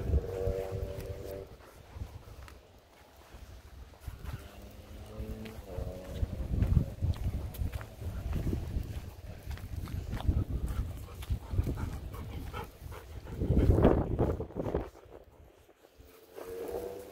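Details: Golden Retrievers Kohaku and Ibuki, sad at parting after being played with in a rice field, whimpering in short high tonal whines near the start, middle and end, amid rustling, footsteps and handling noise outdoors.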